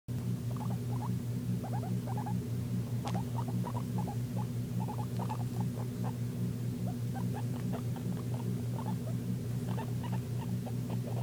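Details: Pet guinea pig wheeking: short squeaky rising chirps in quick clusters of two or three, scattered through the recording, over a steady loud low mechanical hum and a few faint clicks.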